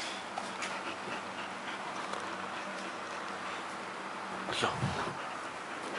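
A Chow Chow pants steadily in soft, breathy rasps, with one brief louder sound near the end.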